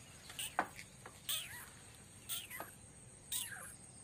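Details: Domestic cat scene: a mother cat nursing and caring for an adopted kitten as her own; short, high, downward-sliding meows come in four or five quick bursts over a steady background hiss.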